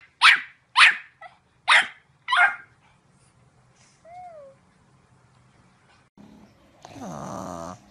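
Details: Pug barking indoors: four sharp, loud barks in the first two and a half seconds, then near silence with a short gliding electronic tone, ending in a noisy broadband burst.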